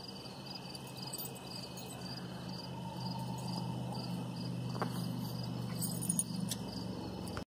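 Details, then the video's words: Crickets chirp at sunset in soft, high, evenly repeated pulses, partly buried under a steady low droning hum, with a few faint clicks. "crickets at sunset"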